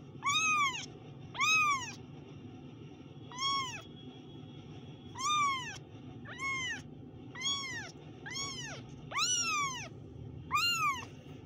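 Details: Kittens giving a long run of short, high, arched meows, about ten calls at irregular intervals, some stronger and longer than others, over a low background hum.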